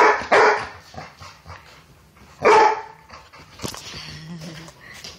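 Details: A brindle Basset Hound-Bulldog mix gives two loud, sharp barks a couple of seconds apart, with people talking nearby, during play with another dog over a toy.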